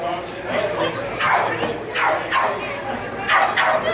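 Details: Young Rhodesian Ridgeback, four and a quarter months old, barking during lure coursing: about five high, yelping barks with falling pitch, roughly every half second, with voices and a public-address announcement behind.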